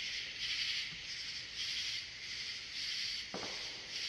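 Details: Katydid in the US, known as bush cricket in the UK: a dense, hissing buzz high in pitch, pulsing about once per second in steady waves, with a soft knock near the end.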